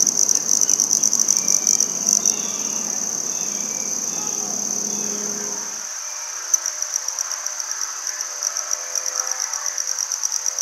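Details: Handsome trig, also called red-headed bush cricket, singing in Maynard, Massachusetts, on 14 September 2019: a high, thin, rapidly pulsed trill held steady throughout, with a low background rumble during the first half.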